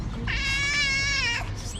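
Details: A hungry tabby cat, one of the abandoned cats in Morocco, talking to its carer in a sweet voice: one long, clear, steady meow lasting about a second, with a faint hum in the background.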